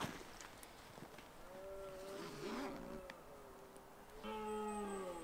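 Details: Red deer stag roaring during the autumn rut in the Scottish Highlands, harmonic moaning bellows with a long drawn call near the middle and a louder, higher bellow at the end; light rustling in the background.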